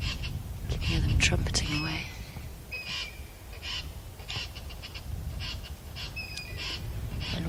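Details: A very angry squirrel alarm-calls at a fish eagle at an African dam at sunrise on 23 July: harsh, rasping, cackle-like chatters in short bursts, about every half-second to second. Brief speech and faint bird whistles are also heard.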